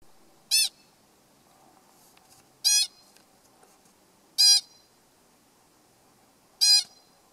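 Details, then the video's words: An American pika calls at its neighbours on Sourdough Mountain, North Cascades National Park, in August 2015, with short, sharp, nasal squeaks, each isolated, about two seconds apart. "American pika calling in North Cascades"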